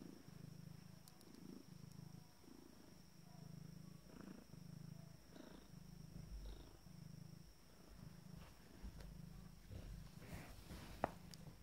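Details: Resting 14-day-old Abyssinian kittens of a first litter purring: a low, rhythmic rumble that swells and pauses about every second, steady throughout, with occasional light rustling and a faint constant hum behind.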